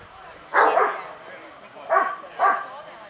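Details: Three loud, rough barks from a Kuvasz at the fifth club exhibition in Kishegyes, 2017: one strong bark, a pause of over a second, then two more close together, with faint crowd noise between.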